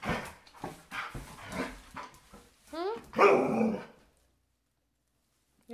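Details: German Shepherd Husky mix female in heat, wearing a diaper indoors, gives a short rising then wavering moan near the end, after a person speaks to her; brief silence follows.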